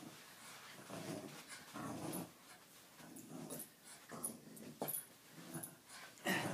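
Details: Tugging on a toy indoors, a Jack Russell Terrier rumbles with repeated harsh growls in rhythmic surges, interspersed with clicks and rattles of the game.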